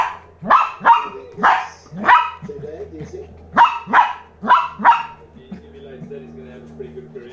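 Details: Lhasa Apso puppy reacting to a new toy with bursts of sharp, high yaps in small clusters, pausing between groups, then quieter whining and low background hum toward the end.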